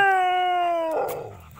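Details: Dog howling during play: a steady, tonal howl lasting about one second that slides slightly downward, then breaks off into a brief noisy burst and quieter rumbling.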